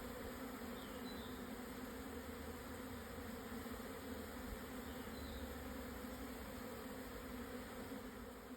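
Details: Japanese honey bees swarming at 12:50 on 17 June 2024, noon after strong wind eased, Yatsugatake southern foothills plateau, Hokuto, Yamanashi, Japan, 1054 m altitude; dense steady droning hum of many bees, even and unbroken throughout.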